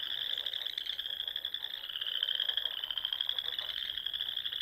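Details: Frogs calling at dusk in spring from small lakes among the Sandhills dunes of Nebraska, giving a dense, unbroken wall of high, buzzy pulsed trills with slight pitch wavering.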